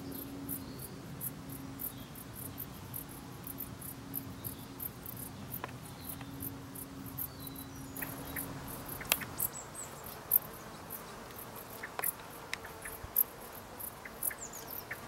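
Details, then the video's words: Dark bush cricket giving short, high, dry chirps in loose repeated series throughout, over a low steady hum and rumbling background noise that drops away after about nine seconds. "Dark Bush Cricket"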